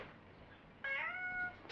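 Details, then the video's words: Indoor pet cat named Me, answering its owner in a back-and-forth, lets out a single steady, clear meow of just over half a second with rich harmonics, followed by a short breathy sound. "Párbeszéd a Me nevű cicámmal"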